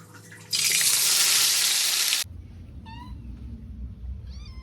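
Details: Cat eating pork rice; after a loud burst of running-water-like noise, two short high meows with falling then curved harmonics, separated by about a second and a half, over low rumbling background.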